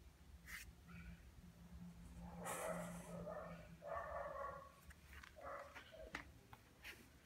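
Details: Zeca, a Lhasa Apso, dying of laziness, lets out a series of drawn-out whiny groans and short squeaky yips, each lasting under a second, with soft clicks and quiet indoor room noise between them.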